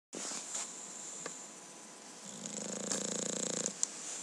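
A sleeping English Bulldog breathes noisily, then gives a rattling, low snore near the end.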